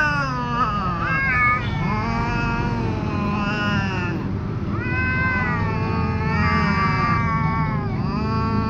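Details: Cornered ginger cat facing a tomcat gives a continuous, loud, harmonic howl, wavering up and down with rising swoops near the middle and end, barely pausing for breath.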